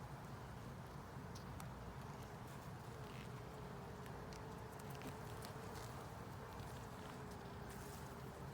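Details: Honey bee colony in a 10-frame deep hive box with a honey super, opened for inspection: a dense, steady low hum of many bees with a faint sustained tone, and scattered sharp clicks from frames being handled.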